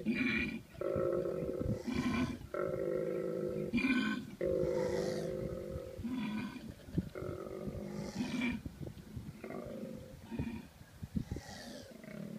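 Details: Mating-season koalas, with a male's deep, throaty, pulsing bellows in bursts of about a second and a female's harsh screech sounds, fading to quieter grunts near the end.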